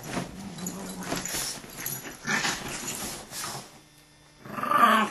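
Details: During a dog fight a sustained guttural growl rolls for about two seconds, followed by huffing snarls, a short quiet pause and a sharp closing snarl.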